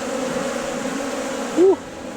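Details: Bees buzzing at Valderejo nature reserve: a continuous low hum with stacked tones, then one louder, close buzz that swoops briefly up and down in pitch before the sound drops quieter.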